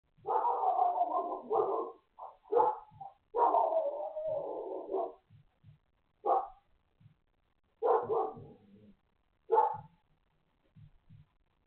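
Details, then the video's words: A neighbour's dog barks repeatedly in rough, mid-pitched bursts, some drawn out into longer yowling barks. "Inconsiderate neighbor's dog barking"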